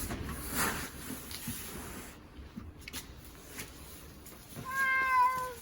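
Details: Timid domestic cat crying in a car on the way to the animal hospital in February 2026. A single loud, drawn-out meow with rich harmonics comes at the end, after car rumble and handling noises.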